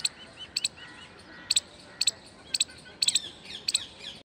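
An Indian palm squirrel gives sharp, high chipping alarm notes in quick pairs, about twice a second.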